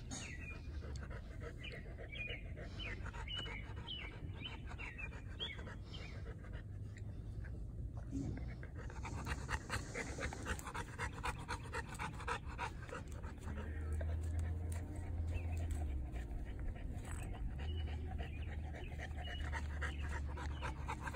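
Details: Three-year-old female North American Mastiff, a foundation dog of the breed, recorded in April 2019: steady, rapid breathy panting, roughly four breaths a second, continuing throughout with faint background voices.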